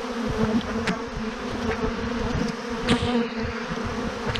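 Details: A massive clump of honey bees hanging on a branch hums in an unbroken low drone, with a layered overtone above it and a couple of sharp ticks partway through.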